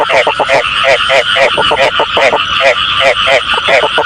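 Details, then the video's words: Frog calls played as a lure for frog catching: loud bursts of short, rapid pulsed croaks, each burst a quick run of clicks, repeating without pause over a constant chorus-like background. "tiếng ếch chuẩn cho ae bắt tay"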